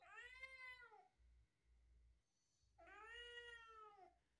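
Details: Talkative tabby kitten talking back to its owner: two long, clear harmonic meows, each arching up then falling, about a second apiece with a short pause between, in a quiet indoor room.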